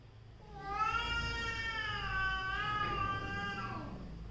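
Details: Domestic cat from a family of mother and daughter cats quarrelling: one long, drawn-out harmonic yowl lasting over three seconds, wavering slightly in pitch and fading at the end, indoors with low background hum.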